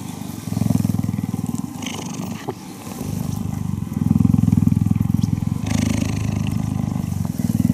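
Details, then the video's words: A cuddling cheetah gives a steady low rumbling purr, a rapid fluttering vibration that swells and eases over a few seconds, with a brief soft knock midway. "Cheetah Cuddling & Purring"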